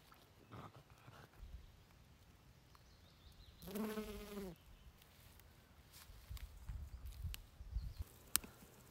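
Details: French Bulldog begging, one drawn-out whining cry of about a second, richly layered and slightly wavering, standing alone amid a quiet indoor background with scattered clicks and soft knocks.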